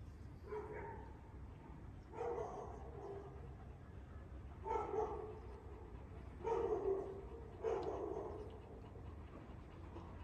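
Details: One-year-old Kangal puppies in Alanya, Antalya, Türkiye, recorded on 21 September 2024: muffled, fairly deep barks come in irregular bursts every two seconds or so over steady low background rumble.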